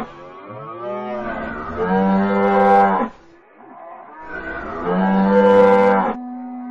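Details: Cattle lowing in two long moos about three seconds apart, each a rich harmonic drone that rises slightly and then holds steady, with a quieter tail between calls.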